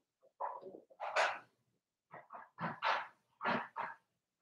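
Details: Three-week-old Blenheim Cavalier King Charles Spaniel puppies from Robin's litter, watched indoors on an overnight livestream, give a run of short, squeaky, harmonic yelps in two quick bursts, about eight cries within four seconds, with quiet pauses between.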